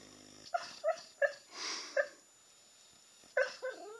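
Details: Puppy making noises in its sleep: short, high, nasal whimpering yips, about six in four seconds, in two bunches, with a soft breathy sigh between them and a quiet background.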